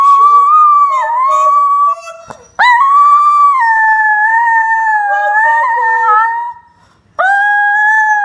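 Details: Chinese Crested Powderpuff dog, a female about three to four years old, howling in the morning on the Gold Coast, Australia: long sustained tonal howls with wavering pitch, two held notes separated by short breaks.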